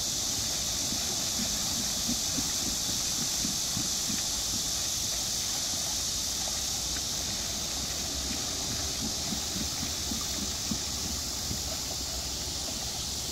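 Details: Cicada song at Namsangol Hanok Village, Seoul, Korea, 12 August 2024: an even, high-pitched droning hiss holds throughout, blended with steady flowing water and low knocking from a water wheel.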